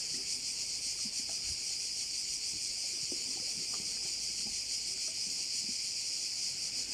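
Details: Crickets around a bay in Korčula produce a loud, constant high hiss-like trilling with a faint fast pulse, over a few soft low thumps.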